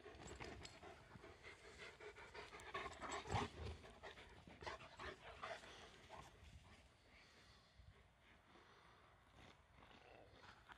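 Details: Komondor playing, running and jumping: fast rhythmic panting, roughly three or four breaths a second, loudest early and fading toward the end, over faint scuffling.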